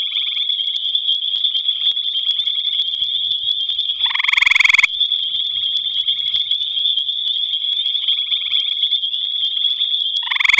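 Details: A gray tree frog sings at night in the Albany Pine Bush, giving a short, loud, musical trill over a steady high insect-like chorus.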